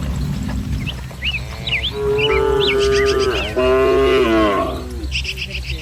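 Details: Dozens of tame village cattle herded together in green rice fields under soft morning sun; a long, deep, drawn-out moo swells and holds, with a second moo following, while small birds chirp and twitter throughout.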